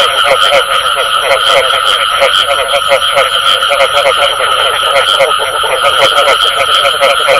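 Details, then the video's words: Frog croaks with the bù tọt call, many rapid overlapping pulses forming a continuous chorus, with a constant high-pitched tonal hum and hiss behind. "Tiếng Ếch Kêu Có Tiếng Bù Tọt Cực Chuẩn"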